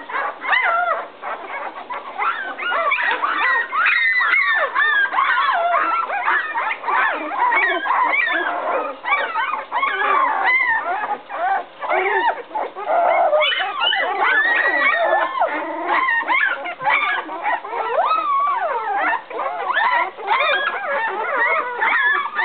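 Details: Puppies aged 11 days, upset after their mother walked out of the whelping box, searching for her; a steady chorus of high wavering cries and squeaks from several pups, barely pausing throughout.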